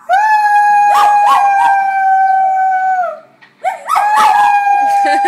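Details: Loud howling from a male dog: one long, flat, sustained note of about three seconds that drops off at the end, a brief pause, then a second howl rising back to the same steady pitch.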